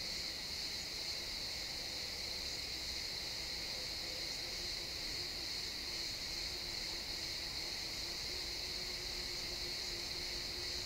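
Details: Crickets in a pine forest at sunset, recorded in XY stereo in real time: a dense, unbroken high trilling chorus with a lower steady band beneath, plus a faint low hum through the woods.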